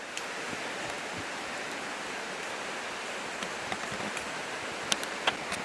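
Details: Steady broadband rushing like flowing water or wind, with a few faint clicks and taps, and no clear animal voice.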